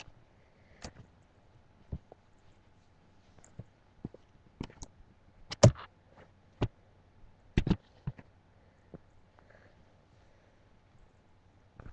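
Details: Scattered soft clicks, taps and rustles sound in a quiet small room, and no animal calls out.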